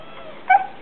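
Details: Laika, a female Siberian Husky in early training to talk on command, gives one brief whining yelp that rises then falls, between a person's spoken Romanian prompts and praise.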